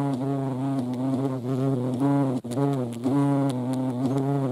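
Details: European hornet (Vespa crabro) from the Eifel: a loud low-pitched buzzing drone with rich harmonics and one sharp click-like break partway through.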